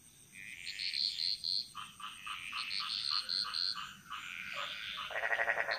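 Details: Frogs singing in Bali's jungle: a string of short, evenly spaced clucking notes, then a tonal high trill, ending in a loud rattling pulsed croak, over a soft background of other frog voices.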